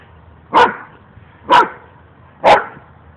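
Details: Domestic dog barking during play, one of two dogs playing together: three short, sharp barks spaced about a second apart, each a broad burst of sound over a quiet background.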